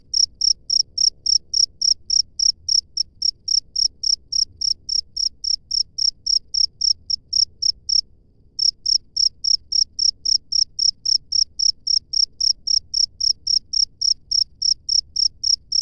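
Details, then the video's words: Wild cricket chirping steadily at a fast, even rate of nearly four high-pitched pulses per second, pausing briefly for about half a second past the midpoint before resuming the same rhythm. "SUARA JANGKRIK LANGSUNG DARI ALAM BEBAS"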